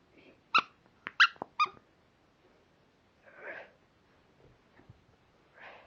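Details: An almost two-year-old Miniature Schnauzer playing with his raccoon teddy gives a quick run of sharp, high yapping barks, then softer huffing grumbles.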